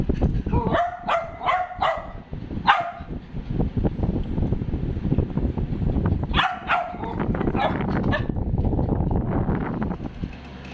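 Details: A dachshund giving high, ringing yips in quick runs of three or four, early on and again after six seconds, over constant rumbling and rustling background noise.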